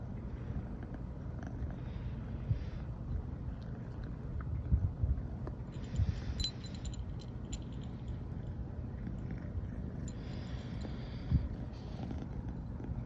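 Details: Continuous low, throbbing purr from Riri, a brown tabby American Shorthair female born 15 September 2020, purring all morning after first sleeping together, with faint rustling and light clicks over the rumble.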